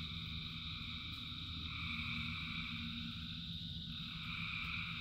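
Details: Frogs calling in rain form a continuous wall of high, overlapping trills without pauses. A soft hiss and deep rumble of falling rain run beneath the chorus throughout.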